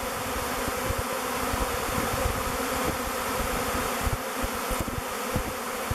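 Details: A swirling mass of thousands of honey bees, waggle dancing and flying as they pick the log hive Bee Beard, produces a thick, constant humming buzz with light low-pitched bumps.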